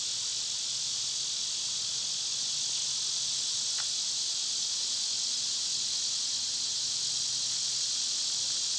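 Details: Loud summer cicadas fill the air with a continuous shrill, hissing drone; a single sharp click cuts through about halfway.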